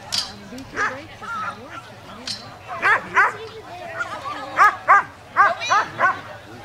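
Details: Poodle at a dog agility trial: a quick series of short, sharp, high yipping barks, about eight in the last three seconds, over people talking nearby.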